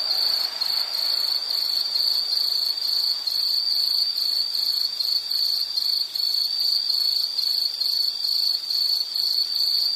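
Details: High, steady insect trill, likely crickets, pulsing in quick regular beats for the full ten seconds, with a brief soft rushing noise at the start.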